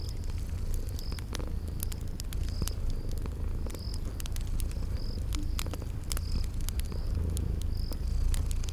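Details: Continuous deep purring from sleeping cats, set by a crackling fireplace in a spring garden scene. Frequent snapping crackles and a regular high-pitched insect-like chirp about every 0.7 seconds sit above the rumble.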